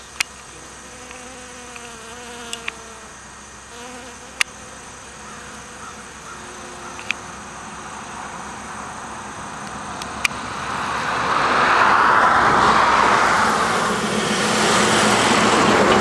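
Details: Honey bees and bumble bees foraging on anise hyssop (Agastache foeniculum) flowers; low droning buzz with wavering tones, a few sharp clicks, then a broad rushing noise swelling over the last third.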